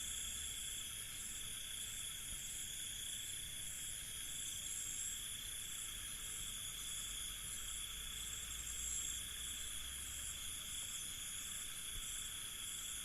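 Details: Crickets on a night in an Indian village, recorded by a professional sound recordist: a dense, unbroken high-pitched chorus of steady trilling layered in several shrill bands, with a soft low rumble underneath.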